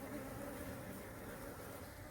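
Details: Honey bees from a colony whose nest was broken by a fallen tree, being settled into a box by a beekeeper; a steady, dense droning buzz with a low, even hum that continues throughout.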